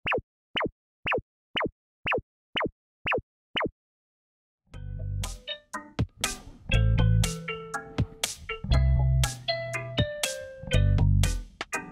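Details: Seven quick falling plop effects, a short silence, then bright plucked-string music with booming beats to the end.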